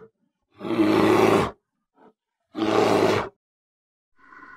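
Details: Polar bear uttering two coarse roars of about one second each, separated by a short pause with a faint snort, and a quiet nasal sound at the end.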